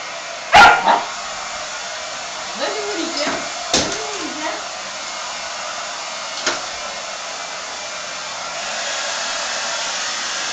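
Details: Dogs, a Staffordshire pup named Boy, a Shiba and a chihuahua, go wild indoors at a running hair dryer: one sharp loud bark, then whining, yelping bursts and a short later bark over the dryer's steady rushing hiss.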